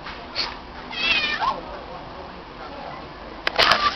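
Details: A female stray cat meowing in response when her name is called: a short faint meow, then a clearer, slightly wavering one around one second, followed near the end by sharp clicks and a burst of voice.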